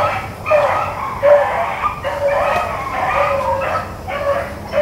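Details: Blackcreek and Bluetick rabbit hounds on a chase, April 4, 2013, give steady overlapping bawls, each mouthful about half a second long and repeated almost without pause, a pack voice over faint outdoor rumble.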